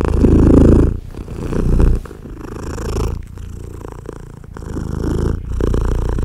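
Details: Loud, steady purring from a British Blue mother cat nursing tiny baby kittens; low rumbling pulses roll on without pause, rising and easing in volume, with soft shuffling of the kittens nearby.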